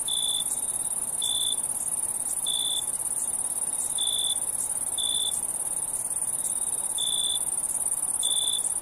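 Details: Crickets at night: a steady, piercing high ringing trill runs throughout, while lower, short tonal chirps pulse roughly every 1.2 seconds, about eight bursts in total.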